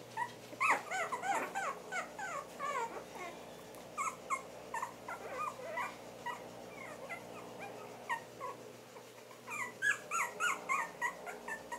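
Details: Havanese puppies at four weeks old, a litter squealing and whimpering in rapid, overlapping bursts of short high notes, busiest at the start and again toward the end.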